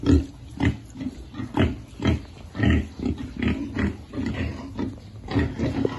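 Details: Piglets eating, grunting in short, deep pulses roughly twice a second in an even, rhythmic pattern.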